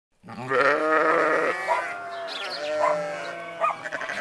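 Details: Sheep giving a long, loud, quavering bleat that holds for over a second, followed by softer trailing bleats and short higher calls.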